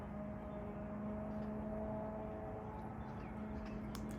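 A steady low engine drone with humming tones, like a passing vehicle or aircraft, and no animal calls.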